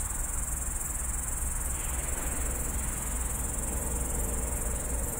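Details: Grasshopper calling at night from a bush beside a road on the Tallinn city edge, phone recording: an unbroken shrill, high-pitched whirring drone held at even strength, with a constant low background hum of urban traffic underneath.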